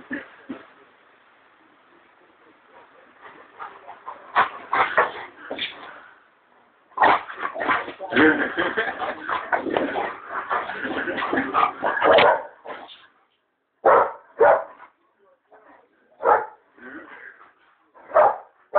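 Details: Pet dog barking and growling during play, in short bursts: a dense run of rough barks in the middle, then separate single barks every second or so, with a person calling to it.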